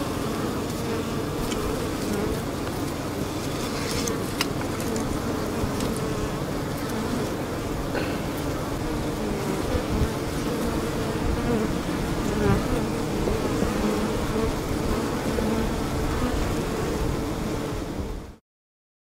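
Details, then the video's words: Many honey bees fanning at the hive and drinking from a leaky hose: dense, even wing drone with a low hum band, a few faint clicks, ending abruptly in silence. "Bees Drinking & Fanning"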